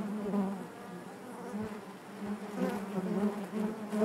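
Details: Honey bees humming in their hive: an even, low, droning buzz with gentle waves of loudness and a few soft bumps, no other sounds.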